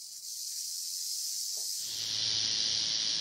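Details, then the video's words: Tail rattle of a rattlesnake, its warning buzz against trampling by bison or elk; unbroken sizzling whir that brightens and intensifies after the first second and a half, with a faint low hum underneath. "What's this BUZZ all about | Rattlesnake"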